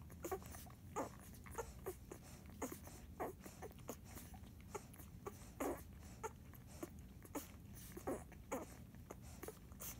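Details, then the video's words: Feeding Airedale pups, nine days old, named Jazz and Monarch: a steady run of brief muffled grunts and faint squeaks, scattered irregularly through the recording, with low indoor rumble beneath. "Eclipse Airedale Puppies, 9 days old. Grunting while feeding"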